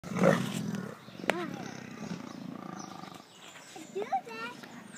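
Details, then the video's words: Big cats growling at each other at a zoo: a loud rough burst opens, then lower rumbling growls continue, with human speech mixed in and some higher voices near the end. "Big Cats Growling at each other"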